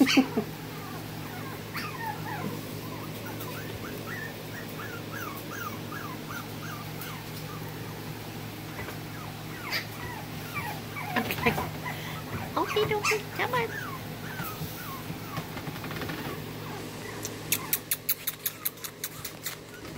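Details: Soft, rapid whimpering from a smooth coat Brussels Griffon puppy in Texas, a long string of thin high whines, ending with a burst of sharp regular clicks over a constant low hum.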